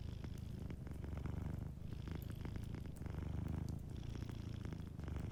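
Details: Sleeping cat purring softly by a warm fireplace, a low rumbling purr that swells and eases with each breath, dipping briefly near 1.7 and 4 seconds, while fire crackles tick lightly above it.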